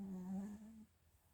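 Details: Chiroru, a female Mal-Shi born 22 July 2017 to a Maltese father and Shih Tzu mother, snoring indoors: one short, low, droning hum with a buzzy, nasal tone that slides slightly upward before cutting off, followed by quiet room hush.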